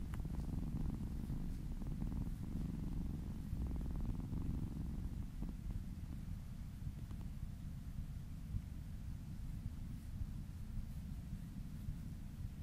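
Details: Kitten purring while being massaged and licking along a person's arm, close to the ear: a steady low rumbling purr, fuller with faint pulsed overtones in the first half, then softer and smoother toward the end.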